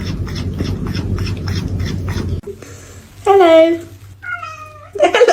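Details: Cat at home letting out a loud, drawn-out, wavering meow, followed by a shorter, thinner tonal call, after a stretch of noisy chatter, with laughter and voices around it.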